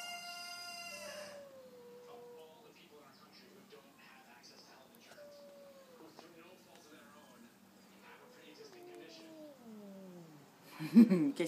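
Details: Outside a house's front door, neighbourhood cats squaring up to fight let out a drawn, high yowl that slides downward, then lower, drooping wails over a faint throaty rumble, ending in a loud burst of noise.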